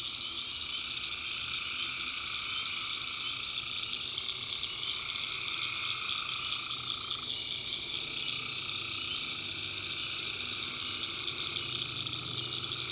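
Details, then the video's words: Tree frogs in a nighttime swamp in the backwoods of North Carolina, a thick continuous chorus of high-pitched trills above a lower humming layer, with one lower voice dropping out partway through. "Relaxing Swamp Sounds at Night - Frog Heaven - Frogs, Crickets"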